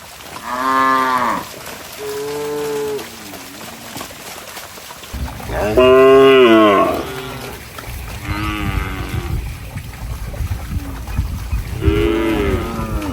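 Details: Cattle running and jumping in mud, mooing: several long, deep, harmonic moos, some rising then falling, spaced a few seconds apart, with a faint wet trickling background.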